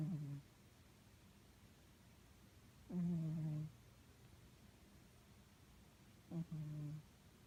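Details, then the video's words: Pet cat snoring so loudly indoors that the TV is drowned out, before waking up angry; three low, droning, buzzy snores with a strong hum, spaced about three seconds apart, quiet room between. "Our snoring cat wakes up pissed off and ready to rumble"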